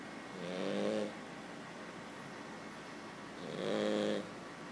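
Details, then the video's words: Cavalier King Charles Spaniel puppy snoring while asleep, quieter than usual for him: two slow, buzzy nasal snores about three seconds apart, each swelling for under a second over a soft steady background hum. "King Charles cav puppy "Chico" snoring!"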